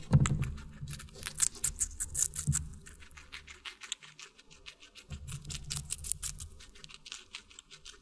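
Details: Close-up eating sounds of a guinea pig on watermelon in an ASMR mukbang: dense run of crisp crunching clicks, louder at first, then a quieter stretch and renewed chewing, over a faint low hum.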